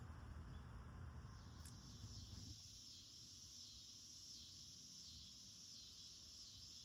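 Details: Cicada chorus in a home garden on August 9, singing throughout the day: a steady, high, hissing drone holds without pause, while a low rumbling hum in the first two and a half seconds drops away.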